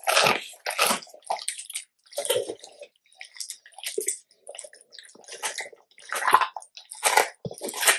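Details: Labrador Retriever eating a large raw chicken carcass indoors, crunching bones: irregular broadband crunches and wet bites about once a second, with short gaps between bursts.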